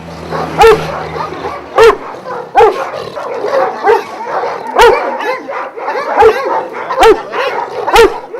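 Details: Šarplaninac dogs at a Jasika kennel near Kruševac, twelve of Vujanski origin, giving single loud barks roughly once a second over a constant background of other dogs barking.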